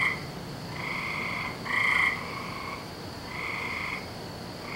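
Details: On a May night in 2012, frogs in their nightly calling season give sustained, buzzy trills of roughly a second, one standing out louder near the middle, others overlapping at a distance.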